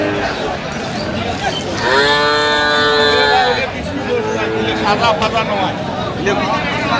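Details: Young improved-breed dairy cattle at Aftabganj cattle market, Dinajpur, 21 October 2025: a loud, sustained, rich moo of nearly two seconds holding a steady pitch, followed by a shorter softer one, with men's voices and market hubbub around.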